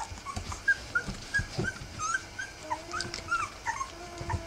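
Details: Three-week-old Rough Collie puppies whimpering together, thin high squeaky whines scattered through the clip, some short and some gently falling, with soft rustling and low bumps underneath.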